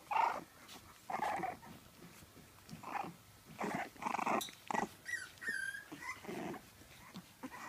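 French Bulldog puppies giving short whiny grunts and squeals in irregular bursts.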